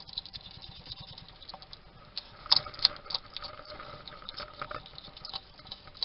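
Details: Male hedgehog feeding in a garden in Somerset, UK, muttering to himself while eating. Soft, steady crunching and snuffly patter with a few sharp louder clicks near the middle.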